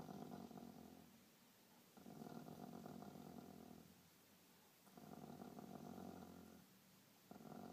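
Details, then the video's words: Pet dog growling while defending his toy and being scratched indoors; long, low, motor-like rumbling growls lasting one to two seconds each, separated by quieter breathy pauses, steady and droning. "Dog Sounds Like Motor"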